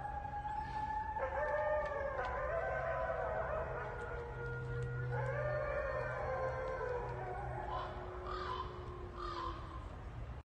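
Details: Gray wolves at a sanctuary howl together, including a ten-year-old female and a five-year-old male, long overlapping tones sliding up and down against a low hum.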